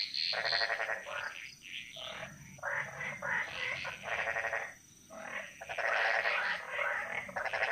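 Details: In the Bali jungle, frogs sing together in a chorus that echoes; overlapping pulsed croaking bursts of one to one and a half seconds repeat irregularly, some lower and rougher, with a faint high tone throughout.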